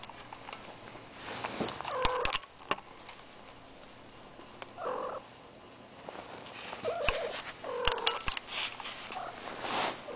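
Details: Cat in heat kept indoors with a ferret, giving short low moaning yowls at intervals, each about half a second long, with tapping, rustling and small clicks in a quiet room.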